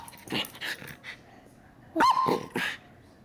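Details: A female Miniature Schnauzer 'talks' to her owner in short grumbling bursts and a wavering, whiny yowl, with a person speaking nearby.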